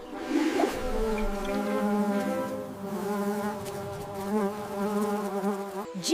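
An insect hums in one steady, low drone for about six seconds, wavering slightly in pitch, with a brief click at the very end.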